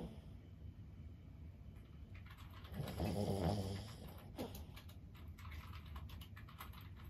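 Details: Lulu, a 15-year-old senior Boston Terrier, asleep indoors, lets out one low rumbling snore midway through a quiet stretch, with light clicking sounds scattered throughout.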